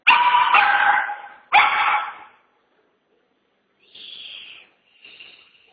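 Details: Chihuahua staying five days at a boarding facility: two loud, harsh barks in quick succession, then after a silence two thinner, higher yelping calls.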